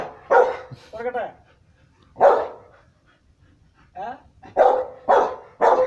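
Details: Rottweiler barking: five loud, harsh barks, some spaced about two seconds apart and the last three in quick succession, with brief human voices heard between them.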